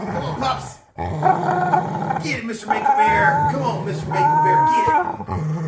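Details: During tug play, a dog makes odd noises: a dense, rumbling growl mixed with drawn-out, wavering whines that rise and fall, with brief breaks between bursts.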